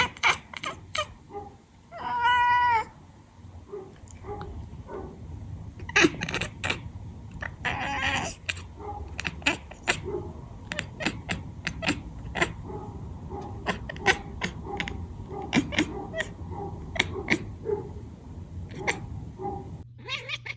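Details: Domestic cat chirping and chattering: one clear, harmonic, bleating chirp with a pulsed, stuttering quality, followed by a buzzy burst and many sharp staccato clicks scattered through an indoor scene.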